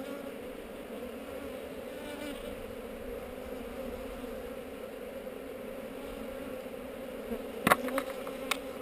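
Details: Steady colony hum from a honey bee hive among heather, filmed on a GoPro as the hive is inspected. The even drone holds throughout, and a brief burst of crackling knocks comes near the end.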